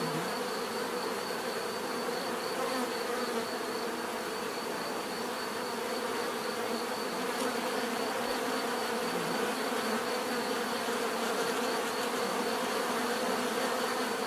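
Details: Bees buzzing in a steady, unbroken drone, many wingbeats blending into a dense hum with a faint high whine running throughout.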